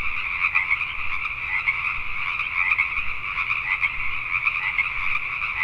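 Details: Many Pacific tree frogs croaking after dark in Richmond, British Columbia, Canada; rapid rasping calls overlap into an unbroken chorus, with a few louder nearby croaks standing out.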